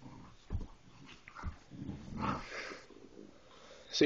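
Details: A Bullmastiff mix puppy growls at a toy in low, rumbling bursts while a person talks nearby.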